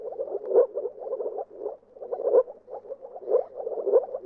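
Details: Moor frog giving low, hollow, bubbling croaks in quick bursts, with brief pauses just before and after two seconds.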